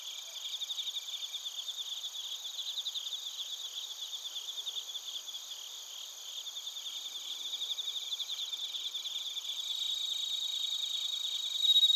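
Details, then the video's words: Japanese bell crickets and crickets from Narita, Chiba, recorded on a TASCAM Portacapture X8: a long, even, high ringing trill of rapid repeated chirps, gradually growing louder toward the end, with a layered insect chorus throughout. "スズムシとコオロギの鳴き声 - Chirping of crickets"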